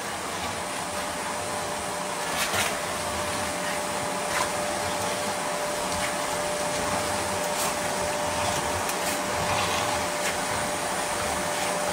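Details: Steady roar of a running vacuum cleaner fills the room, with a few brief knocks and rustles over the constant hum.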